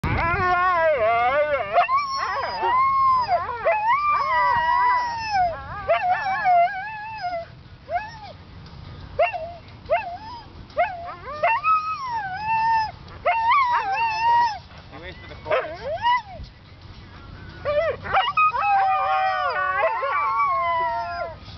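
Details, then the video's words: Siberian Huskies singing: wavering, bending howls with rich harmonics, rising and falling in pitch, given in bursts of one to three seconds with short pauses, sometimes overlapping, over about twenty seconds. "Singing Siberian Huskies"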